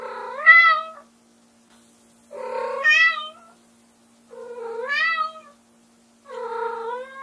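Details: Four loud, drawn-out meows about two seconds apart, each rising then dropping in a strong harmonic stack, from Lamu, a white short-legged prick-eared female Munchkin calling her owner back after being left alone in the room.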